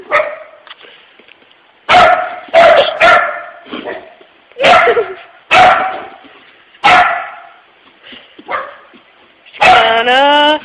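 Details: Pet puppy Pooper barking up a storm at work at closing time, alarmed by an empty puppy-shaped tissue holder: sharp harsh barks in irregular bursts a second or so apart, ending in a drawn-out wavering whine.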